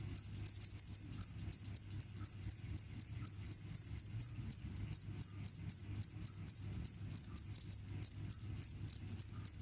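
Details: Cricket chirping, offered as a sound to repel mice: high, shrill chirps in quick bursts of pulses, repeated rapidly with brief irregular pauses, over a faint low hum.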